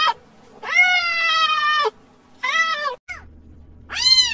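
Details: Cat giving long drawn-out meows, one held over a second, then a shorter meow, a brief chirp and a final rising-falling meow; faint low hum in the background.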